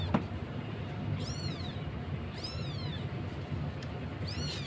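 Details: Thin-voiced kitten calling for its mother on a Jakarta street where stray cats live; three high, arching meows spaced about a second and a half apart above a constant low hum of urban traffic.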